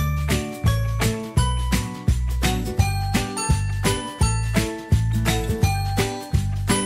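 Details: Bouncy jingle-bell music with steady repeated chimes and a firm bass beat; no animal voice is heard.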